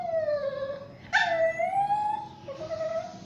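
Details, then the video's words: Basuki, a mixed Shih Tzu and Yorkshire Terrier, whining loudly while being bathed. A long, wavering whine dips and rises, then a sharp splash, then another sustained whine. "basuki the mix shitzhu and yorkie lagi mandi"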